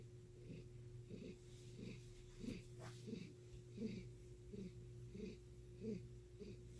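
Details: A domestic cat with an unusual purr that sounds like heavy breathing: soft, low, raspy pulses repeating about every seven-tenths of a second, quiet under a steady background hum.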